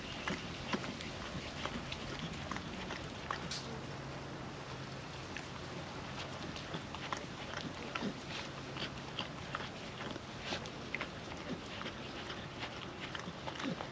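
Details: Soft, scattered mouth clicks and wet lapping from a young female dog working wet food out of a food trapper mat, windy day, with a faint low rumble and steady hiss underneath.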